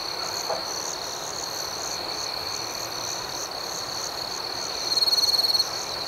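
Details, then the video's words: Gentle nighttime cricket chirping: a constant shrill trill with pulsed chirps above, then a closer, louder, rapidly stuttering trill near the end. "Soothing Cricket Sounds"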